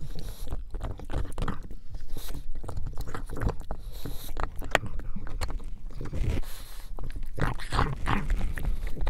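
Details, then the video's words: Pug named Buddy eating bone marrow, close-up ASMR-style recording: dense, irregular wet chewing and gnawing clicks, broadband crunches and smacks repeating throughout with low rumbling handling noise beneath. "PUG ASMR"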